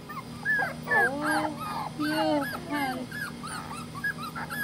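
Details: Dogs at home in Tampa, Florida, in July 2020 give clustered, squealing whimpers, sharply bending up and down in short bursts about twice a second, some louder and lower, over a low background hum.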